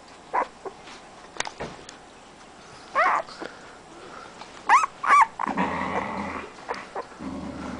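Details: Siberian husky puppy, AKC registered, from a 2010 litter, giving short growling and barking vocalizations. Brief harmonic yelps and rougher bursts come irregularly, mixed with clicks and handling noises.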